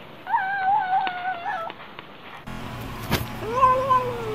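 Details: Cats eating, making a drawn-out tonal mewing growl around the food, a sustained wavering note with bright harmonics for nearly two seconds, then a cut to another cat with a second rising-falling tone and a sharp click.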